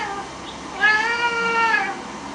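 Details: Pet cat begging excitedly for bak kwa, a Chinese New Year treat, produces one loud, sustained, harmonic meow lasting about a second, steady in pitch then tapering off, indoors.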